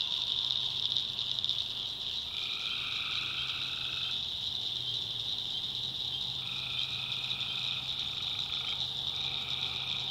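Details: Tree frogs at night in a North Carolina swamp. A loud continuous high trilling wall of sound is joined by two lower calls lasting two to three seconds that start and stop together, with a soft low hum behind them.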